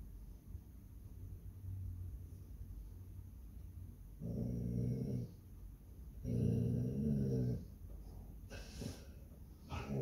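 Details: Basset Hound watching and guarding her home on Palm Sunday, giving two low, rumbling growls of about one second each, separated by quieter breathing, in a quiet indoor setting.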